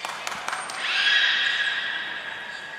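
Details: Beluga during a training session at Port of Nagoya Public Aquarium, Japan, on 22 May 2022, with Nana, Mirai and Niko; after a few clicks, a loud sustained whistle with stacked bright harmonics holds level for nearly two seconds.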